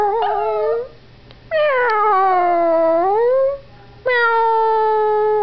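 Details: Yorkshire Terrier puppy Howie gives his first-ever howls, prompted by meowing. There are three long, clear, tonal wails: the middle one dips and then rises again, and the last holds a level pitch.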